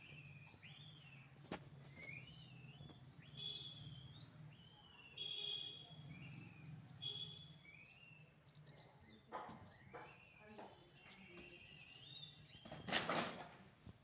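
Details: Several naughty monkeys in a village setting keep up a busy run of shrill, rising-then-falling whistled squeals, overlapping at times, with a low hum beneath and a brief loud rustle near the end.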